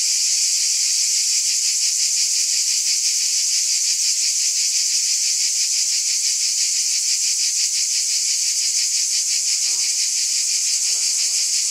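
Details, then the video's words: On a summer night, a dense cicada chorus gives a steady, high, hissing buzz with a fast pulsing shimmer that never lets up. "Cicada Ambience SOUND EFFECT"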